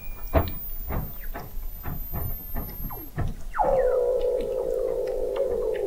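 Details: Weddell seals vocalizing under sea ice in McMurdo Sound, Antarctica, November 2017, recorded 21 m below the ice; a rapid train of knocking pulses about four per second, then a loud sustained wavering tone.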